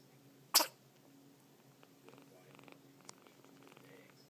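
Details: Scottish cat kitten that has caught a cold and keeps sneezing, indoors; one abrupt, loud burst of a sneeze early on, then a few faint clicks and soft rustling in a quiet room.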